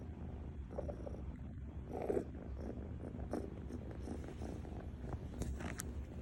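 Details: Sleeping cat snoring loudly, a steady low rumbling rasp that rises and falls with each breath without a break.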